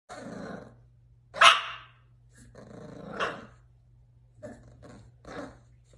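An English bull terrier growls and gives a few rough, gruff barks with a steady low hum behind.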